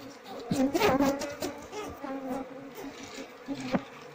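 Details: Asian honey bees of a queenless colony, its comb filled with honey; a close bee passes loudly at the start, then a steady buzzing hum continues amid sharp knocks of handling.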